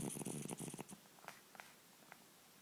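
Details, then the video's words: A 10-year-old cat asleep and snoring; a quick rattling, purr-like snore pulses rapidly for about a second, then fades into soft clicks and quiet room tone. "Sleeping,snoring cat"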